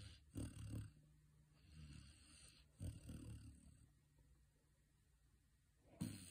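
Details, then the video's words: Saint Bernard puppy, female, napping indoors and snoring gently: soft low rasping breaths every two to three seconds, each a brief muffled rumble fading into quiet, with a faint steady high hiss in the room. "Puppy gently snoring"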